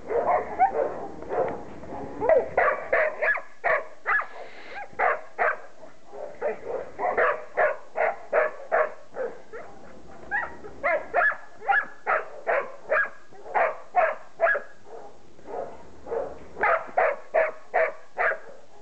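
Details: Playful six-week-old Border Collie pups, offspring of Sally and Sky, out in the garden for the first time, bark in rapid runs of sharp, high yaps, roughly two or three per second, pausing briefly between excited volleys.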